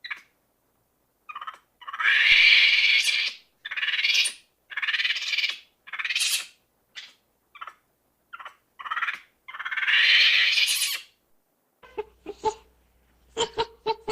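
A monkey gives harsh, raspy screeches in uneven bursts, ending with short sharp chirps.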